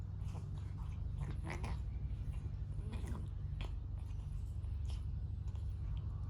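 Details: A cat purrs continuously while grooming itself during its daily bath indoors. The deep, even rumble is broken by wet licking and chewing clicks.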